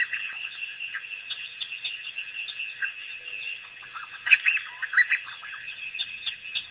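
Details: A released pack of African wild dogs arriving at Pete's Pond for the first time, April 5, 2008; shrill bird-like squeaks, with a dense cluster of chirps in the middle and scattered twitters around it.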